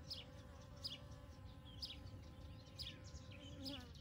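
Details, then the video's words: Honey bees foraging on poppies covering a field on a morning of 29 May 2022, a bee at almost every flower; a steady low hum runs throughout, with bright chirping bird notes repeating roughly once a second above it. "Arılar Gelincik Tarlasında Coşuyor"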